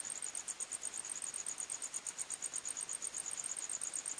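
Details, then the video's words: Crickets singing at night in a forest: a steady, high-pitched chirping pulsing about three times per second in two close shrill bands, with a faint hiss of night ambience beneath and no other animals. "45 Minutes Criket Sounds"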